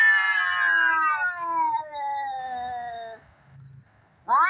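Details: Cats fighting, a sound used to tease cats: a long, loud yowl slowly falling in pitch over three seconds, fading out, then the start of a new sharp rising screech.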